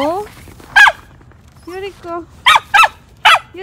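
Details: Four-month-old female Samoyed Yuriko during a snowy morning park walk on harness and leash: a run of short, sharp barks and yelps in uneven bursts, with a few lower drawn-out whines between them.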